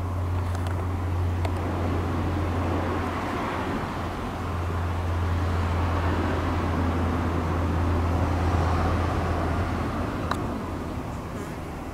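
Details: Steady outdoor traffic rumble with a low engine hum and a few faint clicks, with no animal voice.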